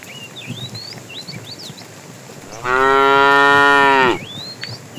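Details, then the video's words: Cows driven to green pasture in the morning; after a few seconds of twittering birds, one loud, steady moo of about one and a half seconds sounds, then bird chirps resume. "Funny cow sounds"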